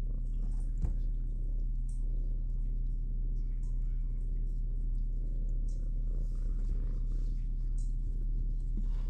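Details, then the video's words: Shelter kitten Minnow, a young female, close to the microphone in the big kitty room at the SBACC animal shelter. A steady, low, continuous rumbling purr holds for the whole stretch over a quiet indoor room hum. "Shelter Kitten Minnow Has Many Things to Say About Imprisonment in Big Kitty Room!"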